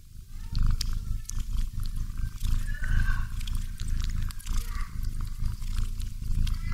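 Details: A house cat dozes, curled up with its favourite doll. Its snoring makes a thick, low rumbling drone that swells and eases without pause, with scattered light ticks over it.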